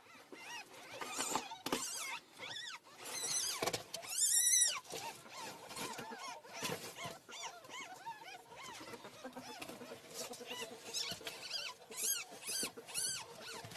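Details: A mother ferret shows her kits: high, thin squeaks and chirps rising and falling in quick bursts amid rustling clicks.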